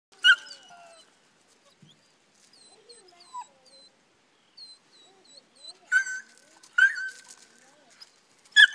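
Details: Black Mouth Cur pups treeing, giving scattered short high yips and whimpers, then a burst of sharper barks repeated roughly every second near the end.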